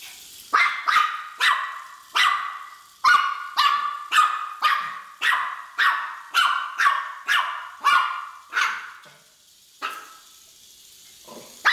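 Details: Miniature Pinscher, a pet dog, chasing a Hexbug Scarab toy as though it were an intruder, giving sharp, high barks about two a second, roughly fifteen in a row, the last few spaced out with short pauses.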